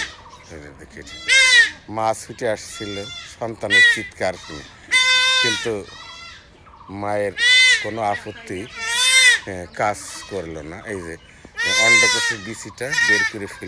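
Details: Goat kid undergoing knife castration, crying out in several strained, high bleats spaced a few seconds apart, while voices of men talk almost continuously around it.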